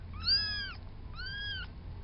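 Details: Black and white male farm kitten, a few weeks old and described as heavy and large, gives two high, clear meows, each about half a second long, the first slightly rising then falling, the second steadier, in a quiet room.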